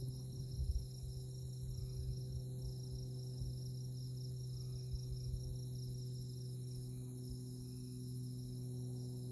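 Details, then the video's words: Insects chirping in tallgrass prairie on a moonlit night at Konza Prairie Biological Station near Manhattan, Kansas; a steady, faint, high pulsing trill runs throughout over a constant low rumble. "Insect Chirping Sounds"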